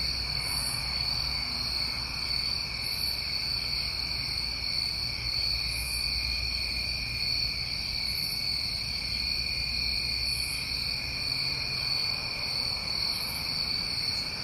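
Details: Continuous trilling of many New England summertime crickets at night, steady high bands with faint higher pulses about every two to three seconds and a soft low hum below.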